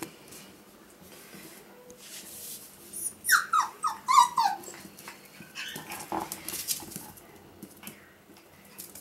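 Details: Male Pomsky puppies, five weeks old, offspring of Winter and Dash: after quiet rustling, a short cluster of thin, falling whimpers around the middle, followed by softer scattered squeaks and handling noise.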